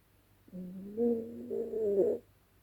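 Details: A single wavering snore from Dezi the dog, asleep at night, lasting under two seconds, nasal and tonal with a slight wobble and a louder end, faint room hum behind.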